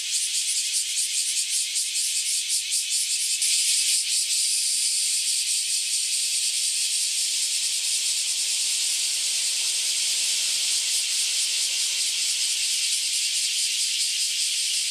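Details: Chorus of cicadas that have just emerged after about ten years in the ground, calling en masse before flying away; unbroken shrill buzzing, strongly pulsed in the first seconds, then a smoother steady hiss.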